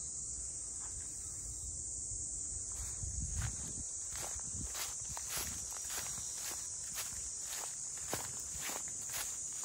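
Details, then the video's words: In Ine, north of Kyoto, a dense, shrill cicada chorus holds one unchanging high pitch for the whole stretch, with regular walking footsteps clicking through it along the waterfront townscape. "cicadas voice"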